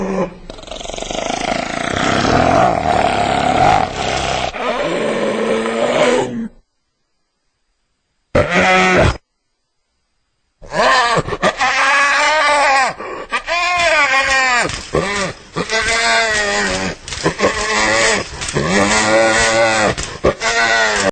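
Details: Hyena calling: a long loud drawn-out howl opens, then after short silences comes a rapid series of arched, laughing, rising-and-falling harmonic calls, repeated about once per second.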